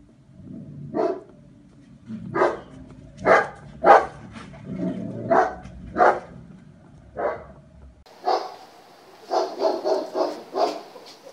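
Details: German Shepherd in a test barks steadily, with loud single barks roughly every second. The sound changes partway through to a brighter, closer run of rapid barks.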